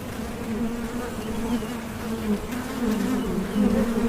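Bees buzzing in a steady, low drone that swells and fades slightly.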